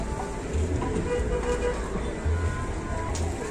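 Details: Deep engine rumble mixed with music and faint voices, with no animal calls.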